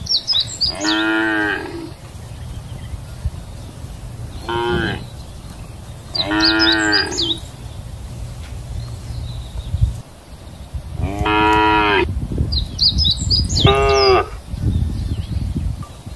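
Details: Several cows grazing in a countryside field give loud, drawn-out moos with rich harmonic tones, with breaks of grazing noise between them.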